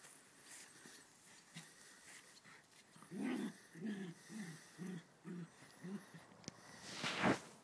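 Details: Ridgeback and West Highland White Terrier playing together; a run of six short, rough, growly grunts about half a second apart, then a sharp breathy snort-like burst, over a steady background hum.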